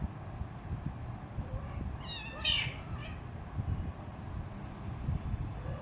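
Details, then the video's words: A single loud, strained meow with a short lead-in from a hungry three-week-old Siamese kitten beside its mother cat, rising and falling in pitch, over soft rumbling room noise. "Three Weeks Old Hungry Kitten's Meowing"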